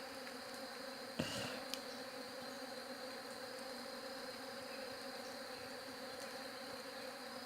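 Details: Humming of bees, a steady layered buzz that never lets up, with a high thin whine above; a brief knock-like thump breaks in early, then the drone carries on evenly.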